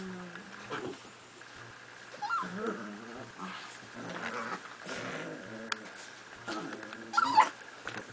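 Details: Miniature Pinschers playing tug of war with a toy growl and grumble in rough, low rumbles with occasional sharp yips.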